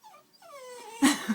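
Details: Pitbull puppy, frightened of a flame point Siamese cat and too scared to leave a bedroom, gives a drawn-out whine that slides downward over about half a second, then a short loud burst, with laughter and a person coaxing nearby.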